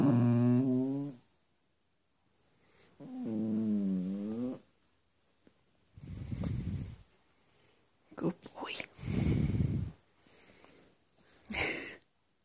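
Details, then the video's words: Bentley, a four-month-old Cavalier King Charles Spaniel puppy, grumbles bad-temperedly because he wants bedtime on the furniture, not his dog bed. Two long, wavering, voiced grumbles are followed by several rougher, lower growling bursts with short pauses between. "cavalier puppy bentley being grumpy"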